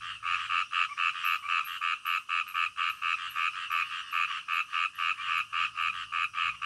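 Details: Night-time frog calls in a quiet natural setting: a steady run of rapid croaks, about four per second, each a short bright pulse, with faint high ticks above and no other clear sounds.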